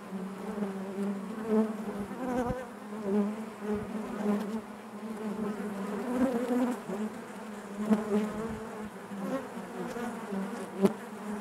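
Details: A colony of honey bees inside the hive gives an unbroken, even buzz, low and harmonic-rich, with small swells and a few sharp close passes.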